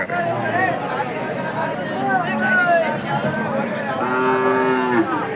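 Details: Pure Hallikar cattle at the KG temple cattle market, 24 November 2025: after a stretch of voices, a clear, even, harmonic moo of about one second closes the stretch against background market chatter.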